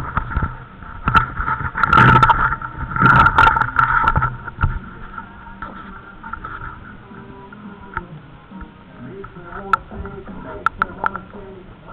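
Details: A rumbling vehicle engine and bursts of wind buffeting mix with faint background music and a few brief voices, with no animal sound standing out.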